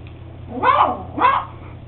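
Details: Max, a beagle puppy at eight weeks, giving two quick high-pitched yaps about half a second apart over a constant low hum.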